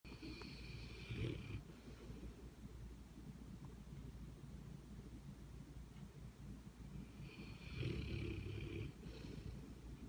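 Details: A Rottweiler, asleep and seemingly having a good dream, snores with deep, rough breaths, and two louder rasping snores come several seconds apart.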